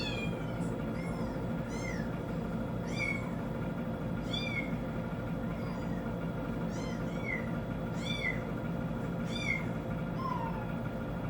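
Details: Pet cat indoors responding to recorded kitten sounds from a TV; a run of short, high, squeaky mews with sharp upward-then-down sweeps, about one every second, plus one lower meow near the end and a constant background hum.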